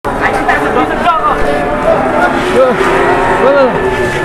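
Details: Large cattle brought in for sale in Indonesia; several short, rising-falling moos stand out against steady background chatter and murmuring voices.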